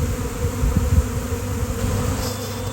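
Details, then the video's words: A honeybee swarm that appeared out of nowhere on a nice day, thousands of insects in the air; a thick droning hum with low thumping gusts beneath it. "Giant Bee Swarm came out of nowhere!"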